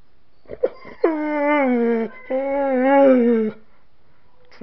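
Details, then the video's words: Dog reacting to dogs whining and howling: two long, steady, high whines of over a second each, slightly wavering in pitch and separated by a brief break, with a few soft yips before and after. "Faith Reacts to Dogs Whining and Howling"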